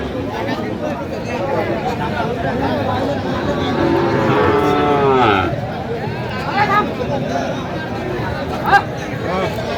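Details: Sahiwal bull calf at a cattle market during price bargaining, 6 December; a single drawn-out, harmonic moo of about a second and a half, partly buried under constant crowd chatter and nearby speech.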